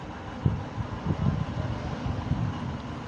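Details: Low rumbling vehicle and wind noise outdoors in an urban setting, with no animal sound heard.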